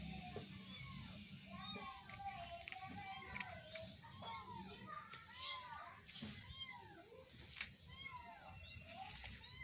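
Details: Cute kittens wrestling, producing many overlapping short, curved mews in quick succession throughout, while people and children talk in the background.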